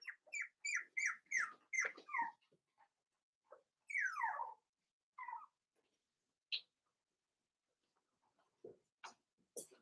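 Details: Cavalier King Charles Spaniel puppies, five weeks old, in their indoor pen with mother Daisy's litter: a quick string of high, downward-sliding whines repeated about twice a second, then a long falling whimper and scattered faint squeaks and clicks.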